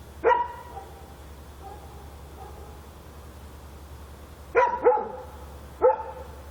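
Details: Night-time dog barking in Korea: one sharp bark, a long quiet stretch with faint distant yaps, then a quick double bark and another single bark over a low background hum.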